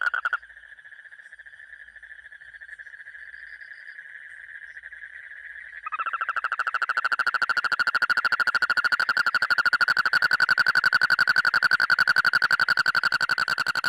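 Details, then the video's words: Frog calling with a continuous buzzy, rapidly pulsed trill at a steady pitch, softer for the first six seconds, then abruptly louder and richer for the rest. "मेंढक की आवाज"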